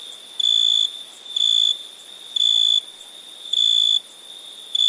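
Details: {'caption': 'Cricket calling at night in India: pure high trills of about half a second repeated roughly every second, with a faint steady buzz of other insects behind.'}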